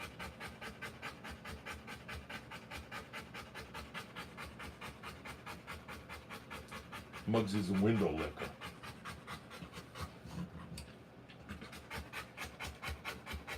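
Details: Panting from a Rottweiler in labour, delivering puppies. Even, rhythmic breaths come a little over two per second, briefly interrupted by a short human voice partway through.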